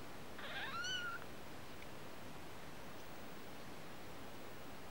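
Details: Kitten giving a single short meow, a clear rising-then-falling tonal cry with stacked harmonics lasting under a second, followed by a quiet steady background hiss and low rumble.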